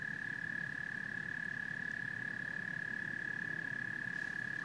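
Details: Softer and more distant, a frog and toad chorus holds a single steady trill with a quick, regular pulse, over a faint low rumble.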